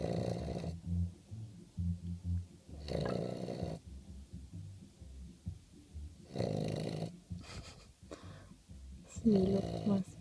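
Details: Otto, an English Bulldog, snoring while asleep: rough, rasping breaths swell and fade in bursts about every three seconds, each lasting under a second, with quieter wheezy breathing between them indoors.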